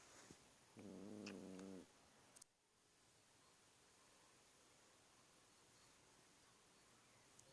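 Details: House cat giving a single strange, buzzy, harmonic moan lasting about one second, followed by a click and then quiet room hiss.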